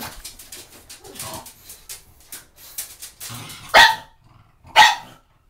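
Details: Pug going after shampoo bottles indoors: soft rustling and knocking first, then two loud, sharp barks spaced about a second apart.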